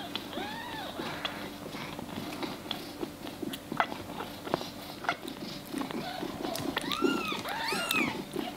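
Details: Maine Coon kitten being fed gives a few short, high, arching meows at the start, then louder squeaky meows near the end, with clicking chewing and eating noises throughout.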